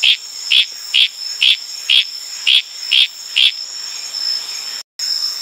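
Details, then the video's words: Wild Litoria frog on Tanimbar, Indonesia, calling at night in tropical forest: eight short, bright clacking notes about every half second, over a steady high ringing chorus of crickets and night insects, ending in a brief silence. "Tanimbar FROG SOUNDS"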